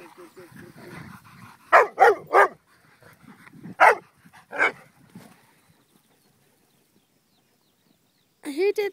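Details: Six pet dogs, Dixie, Honey, Oliver, Jumbo, Annie and Bear, out on a walk near water. Sharp loud barks come as a quick burst of three, then two single barks, silence, and a final bark, with soft speech at the start.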